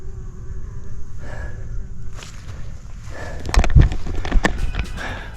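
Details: Bumblebees give a low, steady buzz under wind rumble and crunching footsteps, heard on a sandhill trail in Jennings State Forest in fall, four weeks after a prescribed burn.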